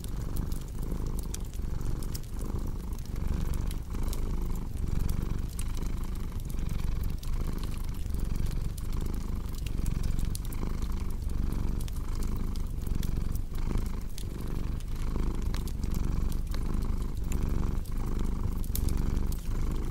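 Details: Cat purr as a deep, even drone with soft rhythmic surges about every second, partly blended with dense crackling and snapping from a fireplace.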